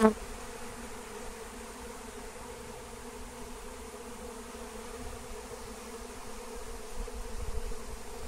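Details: Massive wild honeybee swarm during capture using lemon balm, giving a continuous, even drone of many wings, a low steady hum with a brief knock at the start.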